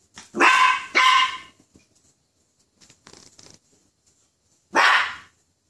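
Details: A frightened poodle, startled by a toy poodle, lets out two quick loud barks close together, then quiet shuffling, then one more bark near the end.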